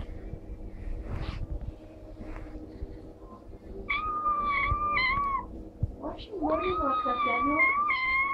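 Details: Little ginger kitten while playing, giving drawn-out, wavering meows, one long cry after four seconds and a longer warbling one from six seconds on, with faint household noise and voices beneath.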